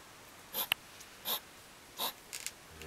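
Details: In July 2009, two hedgehogs huff and snap at each other in a garden at dusk: three breathy, hissing bursts roughly every 0.7 seconds, then a few faint clicks and a low murmur near the end.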